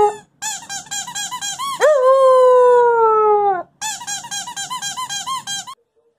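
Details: Wolfdog puppy vocalizing indoors: rapid squeaky yipping pulses, then a sustained high howl that holds and gently descends for nearly two seconds, followed by another burst of quick yelping yips before quiet.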